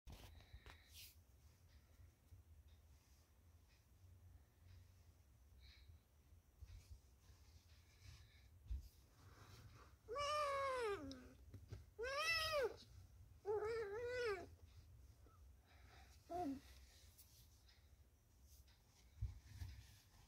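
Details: Pet cat: after a quiet, near-silent stretch, four short harmonic meows rise and fall between about 10 and 17 seconds, each arching upward and then dropping, over faint low room noise.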